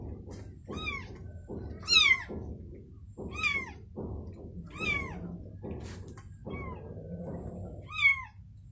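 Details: Domestic cat, a mother with her newborn kitten: a series of high, thin mews, each sliding downward, repeated about once a second over a low background hum, with soft rustling between calls.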